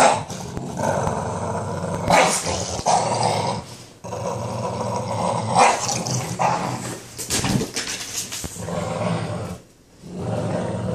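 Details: Boston Terrier growling while playing tug of war: a rough, rumbling growl that runs almost throughout, with sharper noisy bursts and rustling at intervals and a brief quiet gap near the end.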